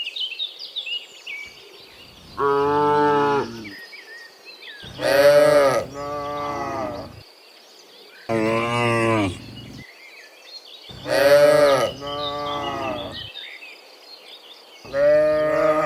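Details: Dozens of cows walking home from the fields to the pen in the afternoon while being herded; a chorus of overlapping loud moos, some bright and strained, roughly every three seconds, with birds chirping behind.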